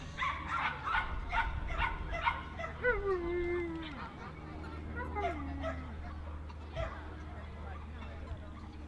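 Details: Jack Russell Terrier at a specialty show at Dogs NSW Showgrounds, Orchard Hills, 15 October 2015: a quick run of high yips, then two drawn-out whines that slide downward, with hall hum and voices behind.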